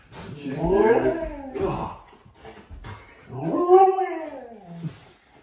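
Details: Reacting indoors to a scary movie costume prank, a husky makes two arching, talkative howl-like vocalizations. Each climbs and then drops in pitch, separated by a short pause with some thumps.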